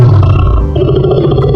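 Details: Lion. A lion gives a deep, throaty roar that rolls on without a break. The sound is loud and dominated by low rumbling tones, with a rough, gravelly texture.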